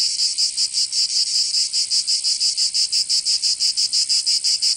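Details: Summer cicada song from Provence in the south of France, an intense shrill buzz broken into quick regular throbs, roughly four to five per second, continuing without pause; nothing else audible.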